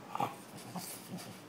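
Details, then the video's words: French Bulldog panting after licking peanut butter off a person's face, seeming to need water. Soft breathy puffs come roughly every half second, with a brief voiced snort at the start. "You can hear the dog's panting now."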